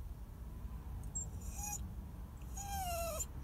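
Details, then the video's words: Whining dog, described as crying and sad. A short whimper is followed after a pause by a longer, high whine that slides downward, set against a steady low background hum. "sad crying dog"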